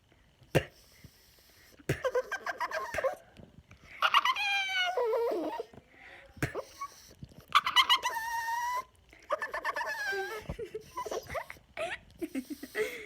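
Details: Pet Yorkshire Terrier annoyed by air in his face, making weird noises: repeated bouts of wavering, moaning whines with rising and falling pitch, interrupted by sharp clicks and short pauses over about thirteen seconds.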